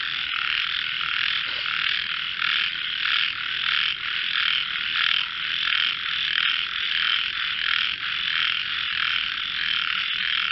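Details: Frogs in a melodious singing contest: a dense, continuous chorus of buzzy, rattling croaks at a high pitch, overlapping steadily without pause throughout.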